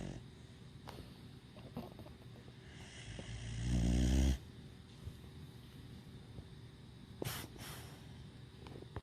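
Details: Vito the dog dozing in a lap and snoring noisily: one drawn-out, deep, rattling snore that swells for over a second and then stops, followed by quiet breathing and small rustles.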